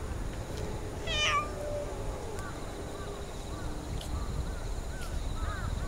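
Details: A single short, high meow from a stray orange tabby cat being approached in a park, followed by soft faint chirps and light rustling.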